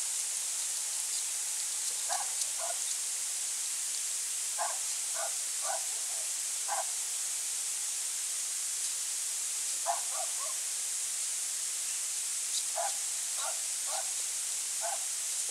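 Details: At night in late November 2020, a European hedgehog searches for slugs near a pond and bird feeder in the central French countryside; clusters of brief breathy sniffs come in groups of two or three, separated by quiet gaps, over faint hiss.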